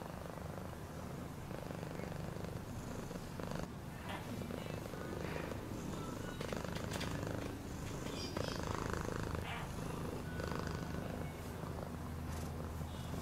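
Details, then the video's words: Cat purr heard as a continuous deep, pulsing rumble, rapid and even, with occasional faint clicks and light rustling noises over the top. "Cat purring sound"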